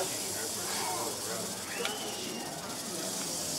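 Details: Western diamondback rattlesnake rattling during an educational snake demonstration at Lake Charles; a steady, dry, hissing buzz runs without pause under voices from the audience.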